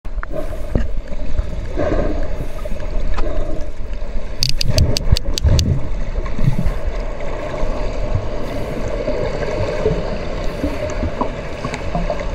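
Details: Socialising sperm whales, described as hunting the female, give a brief burst of sharp, evenly spaced clicks over a steady low rumble of water.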